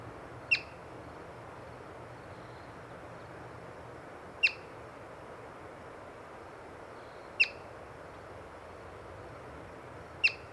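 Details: A yellow-bellied marmot, seen while birding, gives sharp, high chirps spaced a few seconds apart over a soft background hiss; the species uses such chirps to alert the group to predators.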